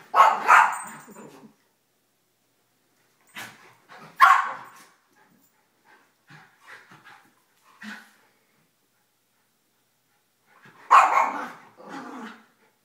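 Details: Pet dogs, a Miniature Schnauzer, a Basset Hound and a Yorkie, excited at the end of morning play before a treat run; short loud yapping barks in three clusters, with quiet gaps between.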